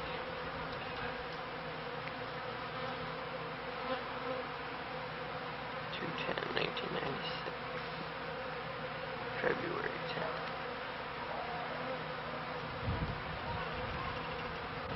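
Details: Honey bees kept by a beekeeper at the turn of the 1995–1996 season, on their first day flying high and collecting pollen; a steady low droning hum fills the clip, with a few brief faint voice-like streaks midway.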